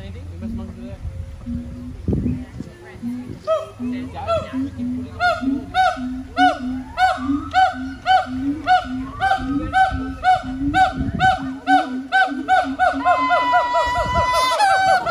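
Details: Zoo siamang gibbons in Honolulu, Oahu, Hawaii, recorded September 15, 2022, build their song: evenly repeated hoots quicken into loud ringing barks about twice a second, ending in a high, climbing, wavering scream.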